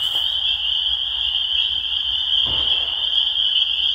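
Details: Spring peepers in a dense chorus: many high, shrill peeps merge into one steady, piercing ringing band that runs unbroken, with a soft low rustle around the middle.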